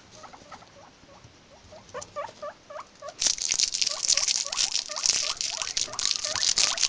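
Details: Guinea pigs giving short hooked squeaks over and over, about three a second, with loud rustling and scrabbling noise building from the midpoint onward.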